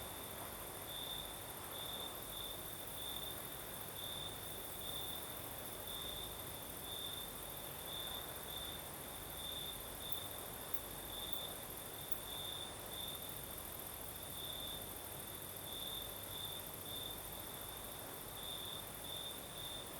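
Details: Crimean crickets at night keep up an unbroken shrill trill, pulsing brighter every second or so for the full length, while a light night breeze adds a steady background whoosh.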